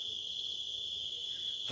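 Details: Crickets trill steadily at about 9 pm in Borong, Sikkim, after light rain on a mild night, a high, continuous shrill ringing without pause.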